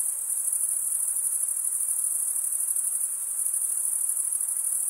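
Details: Chirping of crickets, produced by males scraping wing against toothed wing vein, heard as a constant piercing high trill with quick regular pulsation and even volume.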